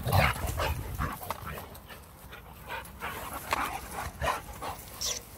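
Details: Jack, a Boxer dog, in rough play going for a person's hand: quick, uneven huffing pants, roughly two or three a second, with breathy bursts rising and falling in loudness.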